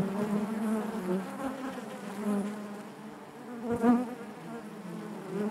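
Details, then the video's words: Steady hive hum from many honey bees inside the hive, a low droning buzz that wavers gently, with a brief louder burst near the end. "bees therapy hive natural buzzing sound"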